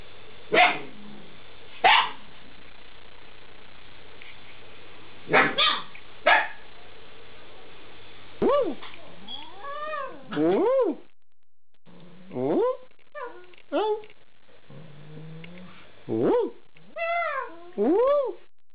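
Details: Alaskan Malamute puppies, eight weeks old, first giving a few sharp isolated yips, then a series of thin, curving whimpers that swoop up and down, spaced by short quiet gaps.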